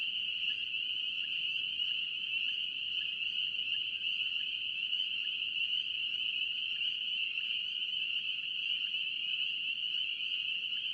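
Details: Steady wall of spring peeper calls from North Carolina, a shrill continuous ringing chorus with faint lower peeps repeating regularly beneath it, no other sounds standing out.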